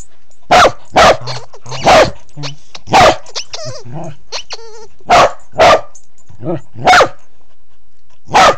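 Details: Corgi crawling low under a bed, captured on an Android phone: nine punchy barks, some in quick pairs, with brief tonal voice-like sounds and murmurs filling the pauses.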